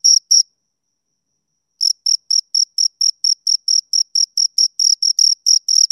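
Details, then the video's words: Two crickets stridulating: two quick high chirps, a pause of over a second, then a long even train of sharp shrill pulses that grows slightly louder toward the end. "Two Crickets Chirp Sounds"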